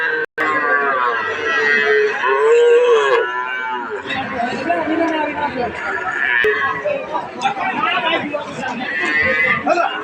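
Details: Calves of Sahiwal and various other breeds offered for sale, 8 June 2026. One drawn-out, arching moo rises and falls over about a second, set against steady chatter and voices of a crowd.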